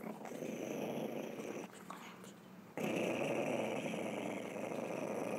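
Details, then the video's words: Chihuahua making a weird noise: a rough, continuous low rumbling growl that fades quieter for about a second midway, then resumes louder and steady to the end. "Chihuahua making weird noise"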